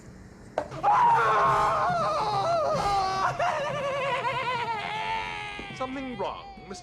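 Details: Chinchilla (Chinchilla lanigera), distress scream: severe pain or extreme terror, often after a fight.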